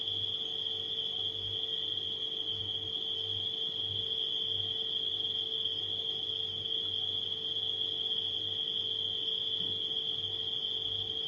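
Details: Crickets at night keep up a continuous high-pitched ringing trill across the whole stretch, while a refrigerator's steady low hum throbs underneath.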